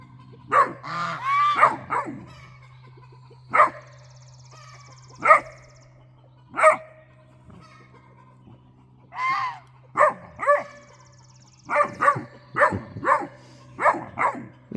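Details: A male Great Dane puppy gives a run of short, bright, yelping barks, some bent upward into whiny yowls, scolding the guard geese; the owner suspects a raccoon is raiding the bird feeder.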